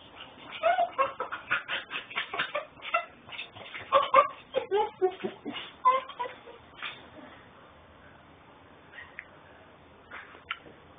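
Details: Whiny puppy in Houston, Texas, captured on a mobile phone stream: a rapid string of brief nasal whimpers and yelps over the first seven seconds, then fading to quiet room noise with a few soft sounds.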